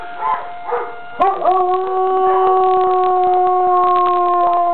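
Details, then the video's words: Avalanche, a young dog, starts howling at a neighboring school's siren: two short yelps, then a sudden long steady howl held over the siren's continuous tone. "Avalanche Howls at the Siren"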